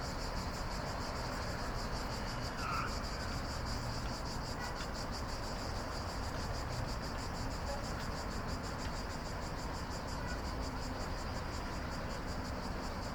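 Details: Cicadas at night keep up a dense, trilling high-pitched drone without pause; a brief faint chirp appears near the start, all over a low steady rumble.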